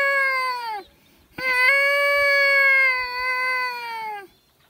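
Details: Wolves from a pack drawn in close at a high mountain lake give two clear, sustained howls. A short note drops away at its end, then after a brief pause a longer steady howl falls off at its close.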